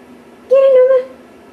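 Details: A pet cat named Noma gives one steady, high, squeaky note lasting about half a second, level and slightly wavering, in a quiet indoor room.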